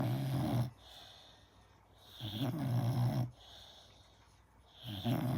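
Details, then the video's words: Gina, a five-month-old American Staffordshire Terrier, sleeping and snoring loud enough to fill the house: deep, rasping low snores in regular bursts about every two and a half seconds, separated by quiet in-breaths. "Стаффорд Джина. Жизнь удалась, храп на весь дом 😅 & амстафф & 5 месяцев & Стаффорд храпит"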